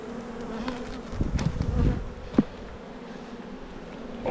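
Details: Hive of honey bees on Jirisan, South Korea, grown to five frames and about to be moved to seven: an even humming drone, with a cluster of bumps and rustles early and a sharp knock near the middle.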